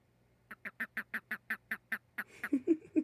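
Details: Frogs call at night with a quick run of about a dozen nasal, quacking pulses, roughly seven per second, then a few lower, hoarser honking notes overlapping at the end.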